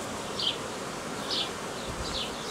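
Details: Hobby beekeeper's honey bee swarm, queen from the previous year or older, filmed 18 May 2018; constant low buzzing drone under three high, quick, downward-sliding chirps spaced roughly a second apart.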